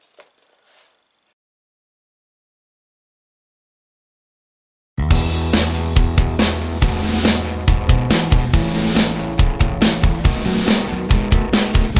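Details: Near silence for five seconds, then loud drum-driven music with a steady, punchy beat and heavy bass fills the rest.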